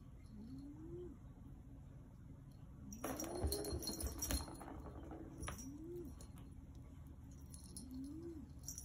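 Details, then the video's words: Black Maine Coon named Yoda making talking sounds, soft low arched trills that rise and dip, four in under nine seconds, one overlapped by a burst of rustling and jingling noise. "Talking Yoda cat (black Maine coon)"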